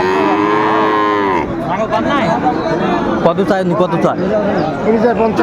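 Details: A Friesian or cross-breed bull calf at Raniganj cattle market, Dinajpur, on 2 May gives a brief, steady moo during the first second and a half, then men's voices and market chatter take over.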